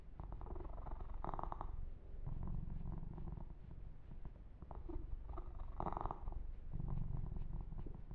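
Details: Massaged kitten Yumak purring in a deep, even rumble that swells and fades in waves, accompanied by repeated soft fur-rubbing swishes and occasional clicks from handling.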